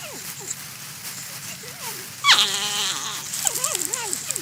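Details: While eating corn, a porcupine makes wavering, sliding whines, soft at first, then a sharp louder cry followed by a run of looping, bird-like tonal notes over steady background hiss.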